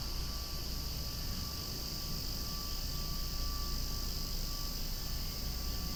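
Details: A loud outdoor mass of cicadas keeps up a continuous, even, hissing buzz at high pitch, constant throughout, with faint low-pitched background noise.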